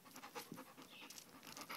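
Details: Quiet rapid panting from Kiyoshi, a male chow and wolf hybrid, between tricks such as wave and back; short airy bursts repeated in a steady quick rhythm over soft background hiss.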